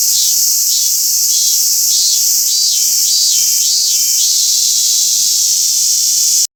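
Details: Robust cicada calling at Toyanogata Park: a run of evenly repeated pulsed phrases over a loud continuous buzz, the pulsing stopping after about four seconds while the drone continues.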